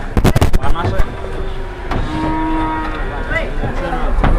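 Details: Cattle packed on an overloaded truck give low, sustained moos in the middle of the clip, after loud banging knocks at the start, with continuous vehicle rumble and voices around them.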